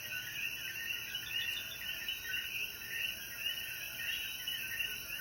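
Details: Puerto Rican coquí frogs in mountainous Jayuya after the rain at sunset: thick overlapping chirping chorus with no pauses, backed by a continuous thin, high-pitched insect buzz.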